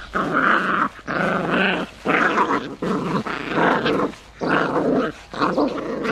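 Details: Countryside village puppies give rough growls in bursts of roughly half a second to a second, separated by brief silent gaps, fairly loud and close.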